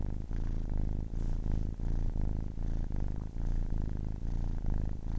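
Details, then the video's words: Kitten aged ten weeks purring contentedly close up: a rich, low rumbling drone that throbs in regular waves with each breath, around two per second. "10 weeks old kitten purring"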